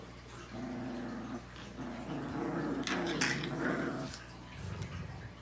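Rottweiler puppies growl and grumble in low, rumbling bursts with a few sharper yips.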